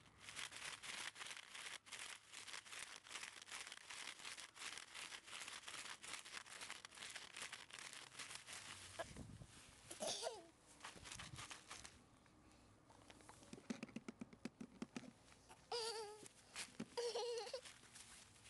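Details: Female red Shiba Inu puppy, born 23 February 2012 and recorded 27 March 2012 indoors. Crinkling and rustling fill the first half. Then come short, high, wavering whimpers and yelps: one near the middle and two more toward the end.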